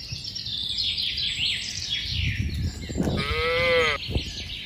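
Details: Walking along a mining road to a green village, one animal from a tame cattle herd gives a single short, arched moo near the end. Busy bird twittering and low shuffling noise run throughout.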